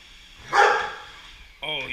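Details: A single loud, rough bark from Golden Retriever SirJi as the Roomba moves off, followed after a pause by a person speaking.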